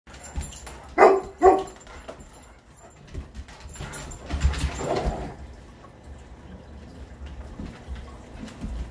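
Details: Two big dogs, a Greater Swiss Mountain Dog and a Mastiff, playing indoors: two loud, deep, gruff barks in quick succession about half a second apart, then scuffling, panting and soft whimpers.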